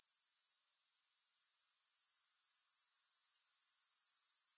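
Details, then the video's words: Grasshoppers, without music: a shrill pulsing trill that drops away sharply after half a second, stays soft, then builds gradually back to a loud, even, rapid chirr. "3 Hours of Grass Hopper Sounds"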